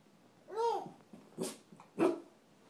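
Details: Puppy named Honey in a staring standoff with a baby, indoors in a small room; three short, high yapping barks, the first with a rising-then-falling arched tone, spaced about half a second apart.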